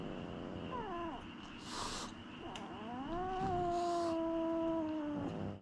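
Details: Domestic cat being introduced to a new cat, giving a long drawn-out wavering yowl that rises, then slowly falls and fades, with brief breathy hissing bursts near the start and middle; a person speaks softly before it.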